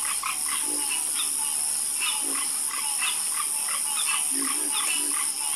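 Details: Frog croaks repeat irregularly in a soft chorus, brief mid-pitched knocks with a few lower grunting notes, over a steady high hiss.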